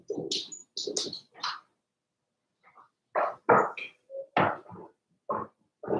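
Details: Four-week-old Cavalier King Charles Spaniel puppies, Daisy's litter, in an indoor puppy pen: short bursts of squeaky, chirping yelps in quick runs, a pause of about a second and a half, then more clustered squeals.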